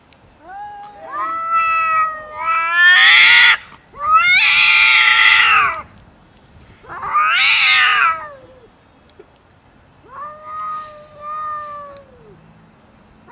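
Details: Angry domestic cats fighting and arguing over food: loud, drawn-out wailing yowls with rich harmonics, rising and falling, in four main bursts separated by short pauses, the last one softer.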